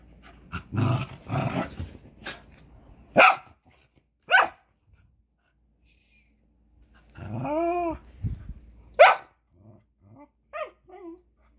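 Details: A Westie puppy and a cairn terrier at play: low growls early on, then sharp yips and barks, a drawn-out harmonic whine near eight seconds, and short high yelps toward the end, separated by quiet gaps.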